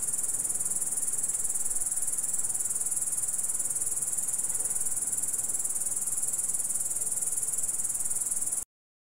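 A grasshopper's steady, high, hissing buzz runs without a break for about eight seconds, then stops abruptly; no other sounds are heard.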